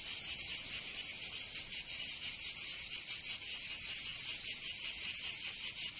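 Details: Cicadas singing in summer in Provence, southern France: a dense, harsh buzzing chorus, high-pitched and continuous, pulsing in slightly irregular beats roughly two to three times a second, with no other sounds.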